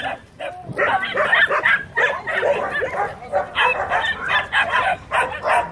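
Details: Dogs and puppies greet arriving people with dense, overlapping high-pitched yaps and yips from several animals at once, about three barks a second, excited and irregular.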